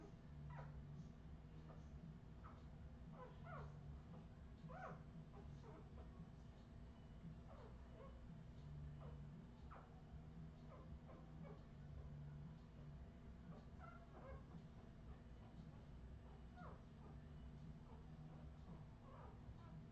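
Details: Several Australian Terrier puppies, Redwing litter, 2018: a continuous patter of short, faint squeaks and whimpers, many overlapping, above a constant low electrical hum.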